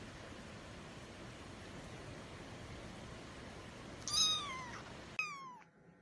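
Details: Persian kittens give two short, high meows, each sliding downward, over a steady background hiss.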